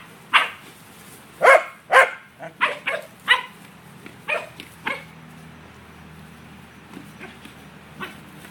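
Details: Herding corgi, a male, chasing down an out-of-control yellow ball: a run of sharp barks and yelps over the first five seconds that fades away, followed by quiet with a few faint yips.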